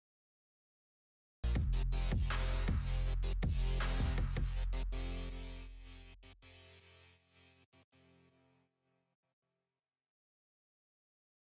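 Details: Heavy electronic music with thumping bass beats starts after a moment of silence, then fades away into silence with no animal sound.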